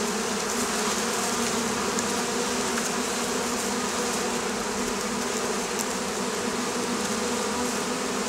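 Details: Continuous dense buzzing of Oriental hornets (Vespa orientalis), a wasp pressuring beekeepers on the Campania plain in Italy; a steady, even hum with strong low tones and a hiss above, no pauses.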